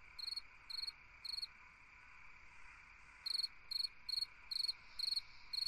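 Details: Cricket chirping on a summer night: three quick high chirps, a pause of about two seconds, then a steady run of evenly spaced pulsed chirps over a low insect hum.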